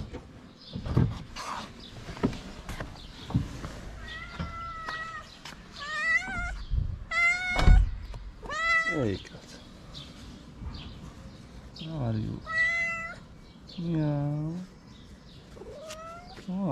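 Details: Stray female cat in Morocco begging loudly for food: many short, tonal meows, some rising and some bending down, scattered through the clip while a person talks to her, with thumps and street noise.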